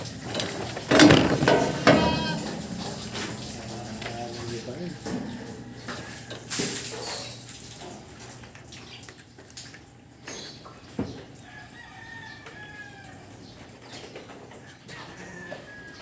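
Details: Goats in a barn, some of them pregnant, give a few wavering, harmonic bleats early on, then fainter calls later, over background music, talking and farm clatter.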